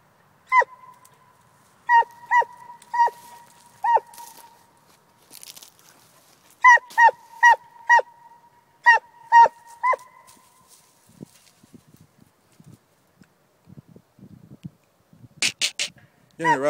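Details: Coonhound barking in two bursts of quick, clipped, tonal barks. Scattered rustling and handling noise follow, with a sharp clatter near the end.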